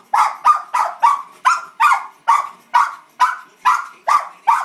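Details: Emma, a pet Cairn Terrier, barking excitedly at the Puppy Bowl on television: sharp, mid-pitched barks repeated steadily about twice a second without pause.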